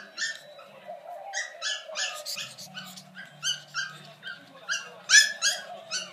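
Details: Brussels Griffon puppies giving high, bright squeaky yelps in an irregular string of about fifteen, some doubled, louder toward the end, with a faint low hum in the background.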